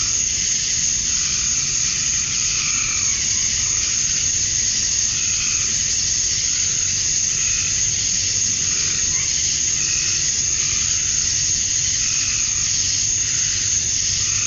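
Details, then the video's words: Georgia, USA summer night at dusk, male cicadas calling to draw in females; an even, intense high-pitched buzzing wall of sound, with gentle lower pulsing swells every one to two seconds. "Cicadas at Dusk, Summer Night"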